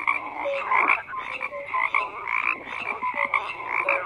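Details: Frogs croaking in a dense chorus: overlapping rattling croaks with short whistled notes at a steady middle pitch, pulsing several times a second with no other sounds.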